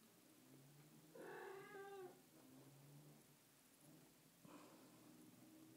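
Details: Bengal kitten sitting in a lap and getting pats: one drawn-out, slightly falling meow lasting about a second, a second fainter cry later, over a low steady hum.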